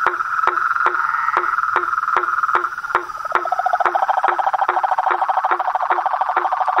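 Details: Frog chorus in nature: rhythmic knocking clicks at a brisk pace over a droning trill that drops lower and grows fuller halfway through, several callers overlapping.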